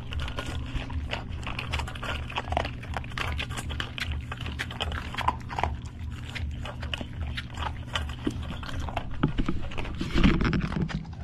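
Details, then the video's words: Old English Sheepdog eating. The dog makes steady, crisp, clicking chewing and crunching noises throughout, growing louder and denser near the end. A low steady hum sits underneath, as in a small indoor room. "올드잉글리쉬쉽독🐶먹방ASMR???와 진짜 잘 먹네?"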